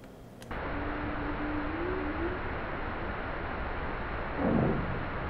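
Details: Humpback whale (Megaptera novaeangliae) giving a low, steady moan that bends slightly upward, over hissing underwater noise. Recorded where seal bombs, firecracker-sized explosives used in seine and set gillnet fisheries, disrupt the calls. This is not an especially loud example.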